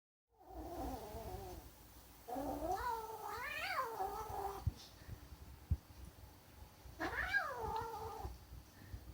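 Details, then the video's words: Female kitten growling defensively over her food: a low wavering moan, then two long harmonic yowls that rise and fall in pitch, each lasting about two seconds, with quiet gaps and a soft knock between them. "Kitten makes strange noise"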